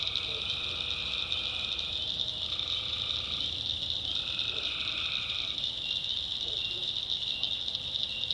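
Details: Tree frogs calling at night in the backwoods of North Carolina: a dense, steady high trill chorus with lower, drawn-out tonal calls that start and stop in long stretches, over a faint low rumble.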